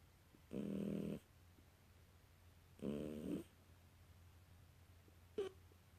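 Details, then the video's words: Sleeping British Shorthair kitten snores in two drawn-out, low, rattling breaths about two seconds apart, each lasting under a second, followed by a short faint click. A quiet room hum sits underneath. "Британский котенок храпит во сне"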